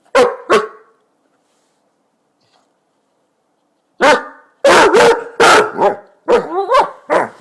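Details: A Basset hound waking its owner gives deep, resonant barks, first a pair, then a quick run of loud ones; Basset hound.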